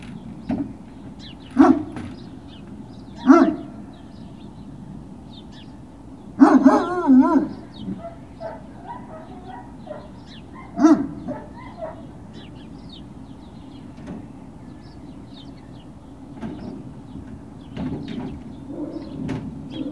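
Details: Great Dane puppies on a hill, recorded 21 March 2019, giving scattered barks and yips: separate sharp bursts near two, three and a half, seven and eleven seconds, with a wavering whine in between and a steady low hum throughout.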